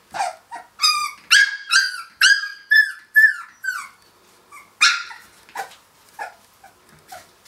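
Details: Three-week-old Finnish Lapphund puppies playing after breakfast, giving a rapid run of high, bright yips and squeaky barks, about a dozen in quick succession, tapering to softer, sparser whimpers toward the end.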